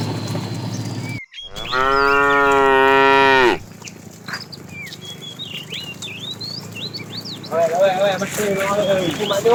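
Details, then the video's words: Tame cows roaming a road in search of food: one long, steady, deep moo lasting about two seconds, then a rougher moo starting near the end, with many small birds chirping and whistling high above throughout. "Funny cow sounds"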